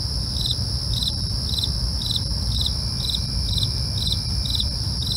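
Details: Crickets calling at night, evenly spaced high chirps roughly every half second against a continuous shrill trill and deep steady hum.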